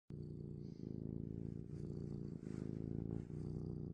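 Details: Close-up domestic cat purring with sniffing: a steady, deep, rumbling purr with rhythmic pulses, breaking briefly about every second and a half as the cat breathes, with faint soft sniffs above.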